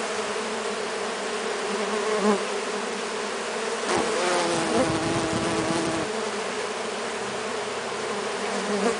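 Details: Stingless Melipona bees from Brazil, a handful being given sweet syrup, produce an even massed buzz; around four to six seconds a single nearer bee adds a steadier, slightly falling whine over the drone.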